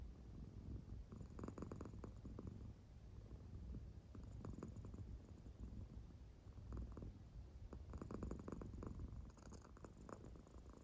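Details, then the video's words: Claire, an American Shorthair cat, sound asleep indoors, purring as her belly rises and falls; low continuous rumble with soft breathy swells recurring every few seconds. "【猫のいびき】 お腹の丸くんは今日もスヤスヤ寝ています"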